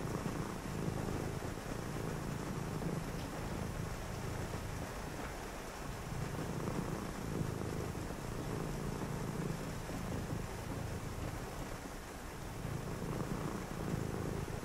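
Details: Domestic cat purring beside a person reading indoors on a rainy night: a low, steady rumbling purr that swells and fades in breath-length cycles of a few seconds, over a constant soft hiss of rain.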